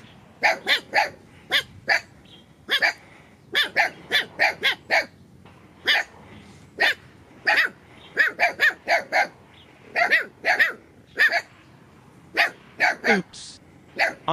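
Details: Dogs barking near the hillside lair where a group of new puppies lives, their mother away. Sharp, loud barks come in quick clusters of two to four, separated by short pauses, continuing steadily for about fourteen seconds.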